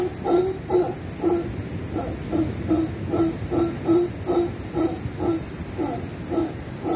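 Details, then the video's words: Howler monkeys above a beach cabana at Camaroncito EcoResort on Panama's Caribbean coast, rainforest setting: a steady run of deep, harmonic, grunting pulses repeated about twice per second over a constant background hiss. "Howler monkeys over our cabana."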